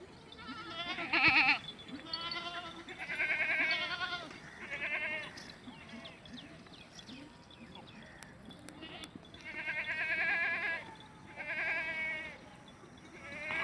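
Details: Beetal goats on a goat farm at Madrasa Mandi, Pakistan, a high-milk breed: a chorus of wavering, harmonic bleats from several animals in bursts every second or two, with faint voices and clatter between calls.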